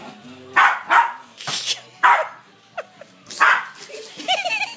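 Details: A West Highland White Terrier is playing at Christmas, chasing a remote control skateboard. It gives a run of excited, irregular barks mixed with higher yips and brief whiny squeaks over about five seconds.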